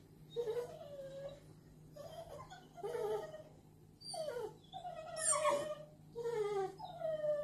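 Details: Ten-week-old American bulldog puppy at home in Merseyside whimpering after getting into paint: drawn-out whining cries that rise and fall, several separate whines with a low steady hum beneath.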